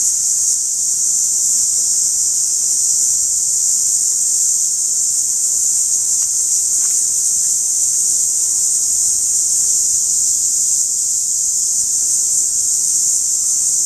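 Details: Periodical cicada at close quarters giving a sustained, high-pitched electric-sounding drone without pause, over a faint background hiss.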